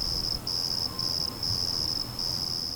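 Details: Black field crickets, abundant in Austin, Texas, after heavy spring rain, chirp in shrill, pure-toned bursts separated by brief pauses.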